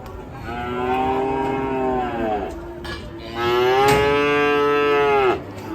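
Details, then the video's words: Enraged cattle in Indonesia: two long, rich harmonic moos, the first about two seconds and the second louder and gently rising for two seconds, with a sharp knock between them. "SAPI NGAMUK"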